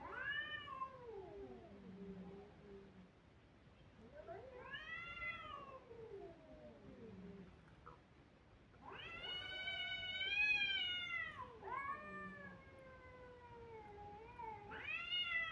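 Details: Repeated crying from kittens: two falling meows, a pause, then a long, loud, strained wail. A broken, sliding cry follows, and a fresh rising cry begins at the close.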